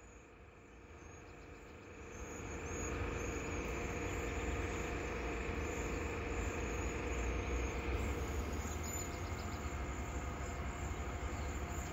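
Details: A steady low rumble of a passing train or heavy vehicle builds and holds, with no clear animal calls.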